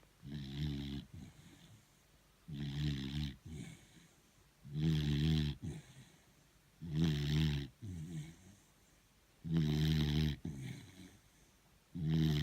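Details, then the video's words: Pet beagle called Thor, worn out and sound asleep, snoring steadily: six loud, buzzing, low inhaled snores spaced about two seconds apart, each followed by a softer rasping exhale. "Торун храпун! 😴Собака спит, она устала."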